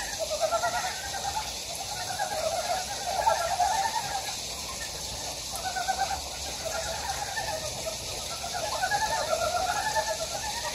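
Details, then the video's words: Several frogs calling along a valley stream on Gyejoksan in Daejeon's Daedeok-gu, South Korea. Bursts of quick, pulsed croaks come in waves, several callers overlapping, with brief lulls, all over constant flowing-water hiss. "대전 대덕구 계족산 계곡에 자연의 개구리 울음소리"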